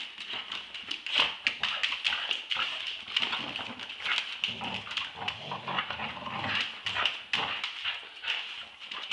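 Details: Roxy, a two-year-old Staffordshire Bull Terrier, and eight-month-old Ralph wrestle in a tug-of-war play fight, giving throaty growls that swell and fade every second or two, mixed with sharp clicks, scraping and a continuous high hiss.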